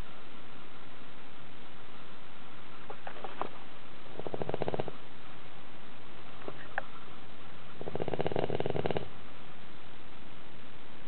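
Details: Sleeping pet dog snoring loudly inside a tilted house; two gravelly, fluttering snores about four seconds apart, each preceded by faint clicks and small mouth sounds.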